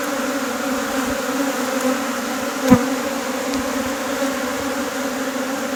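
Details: Western honey bees at a beehive being split give a steady, low, even hum from many wings, unbroken for the whole stretch, with one sharp knock near the middle.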